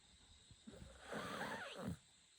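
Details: Shiba Inu named Chako snoring: a single rough, breathy snore swelling for under a second, noisy and mid-pitched with a rasping texture, then fading back into quiet room hiss.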